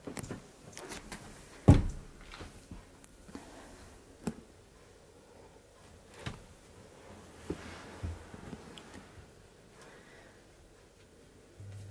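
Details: Quiet indoor room tone broken by scattered knocks and door-like thumps, one sharp bang near the start; no animal voice stands out.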